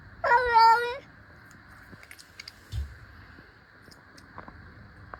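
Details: In a playful face-off between two cats, one lets out a short, bright meow lasting under a second. Quiet rustles and small taps follow.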